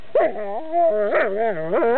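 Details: Dog playing with a rock, giving a long harmonic whining howl with wavering, rising and falling pitch, swelling in three bursts.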